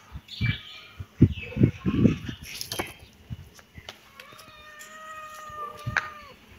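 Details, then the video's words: Kitten meowing, a drawn-out tonal meow with stacked harmonics near the end, preceded by bursts of low thumping and rustling handling noise. "Kitten meowing"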